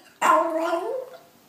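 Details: Indoor pet dog giving one short, sudden whine-like yelp that slides gently downward and fades within a second.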